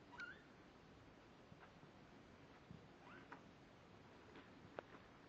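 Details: Seventeen-day-old kittens, born on October 31, 2011, play and wrestle together. One short, high mew rings out at the start, and a fainter rising mew follows later, over soft rustling and light thumps.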